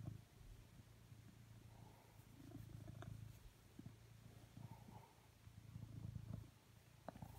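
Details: Steady low purring from Coconut, a blue British Shorthair who came to the sofa asking for cuddles. The deep rumble rises and falls in slow waves, with soft clicks and rustling over it.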